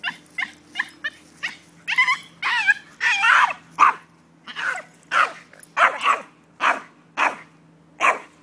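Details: A Jack Russell Terrier, going nuts on spotting a squirrel, gives a rapid run of high, excited whines and yelps.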